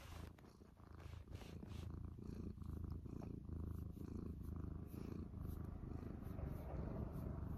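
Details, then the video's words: Domestic cat purring in the morning indoors: a continuous low rumbling purr with steady rapid pulsing, slightly louder after the first second, with faint soft clicks and handling noises. "Purring in the morning"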